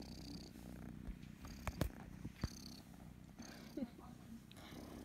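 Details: Loud, steady purring from the kitten Kryska, who loves being stroked and scratched behind the ear; a dense low rumble is broken by a few sharp clicks and taps.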